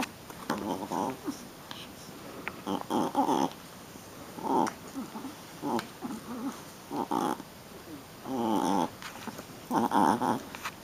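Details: Playful Shih Tzu puppy getting rough: a string of short rasping growls and squeaky grunts, roughly every second or two, with soft scuffling in between.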